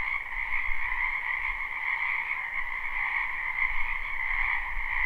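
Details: Many wild frogs calling in a spring wetland behind a house, live recording: a dense, unbroken chorus of high trilling croaks that blend into a steady shimmering wall of sound, with a faint low rumble underneath.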